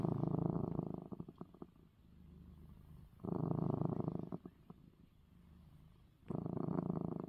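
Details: Male pet cat purring after getting eye medicine; low rumbling purr swelling into loud phases around the start, middle and end, separated by softer murmuring with a few faint clicks.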